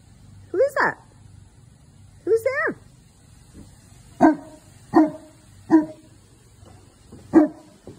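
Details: Newfoundland Phantom reacts to the Amazon delivery driver with a mix of deep barks; two early calls rise and bend like yelping howls, followed by four short low woofs spaced under a second apart, with a woman speaking.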